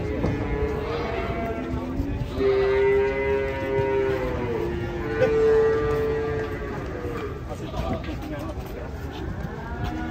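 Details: Cattle being unloaded from a truck in Indonesia, giving long, drawn-out moos held steady at a mid-low pitch, two main calls with fainter lowing around them, over background music, chatter and handling noise.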